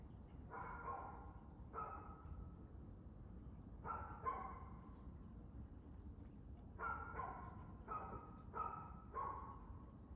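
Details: Dog barking on 2 June 2024 at 6:02 pm, sharp barks in short clusters of two to four, about nine in total, over a steady low rumble of background noise.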